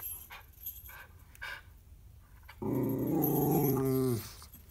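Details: Ruby, a pet Miniature Schnauzer in a reindeer costume, grumbles at joggers passing outside during a Christmas card photo shoot. After faint indoor sounds, a low, steady, rumbling growl lasts about a second and a half, then stops.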